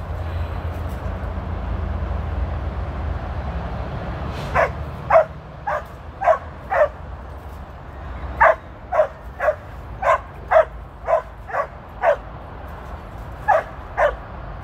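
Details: Female Border Collie named Tir, working sheep on her 13th birthday on 2/23/23, gives sharp repeated barks in two bursts of about six to eight, roughly every half second, over low outdoor rumble.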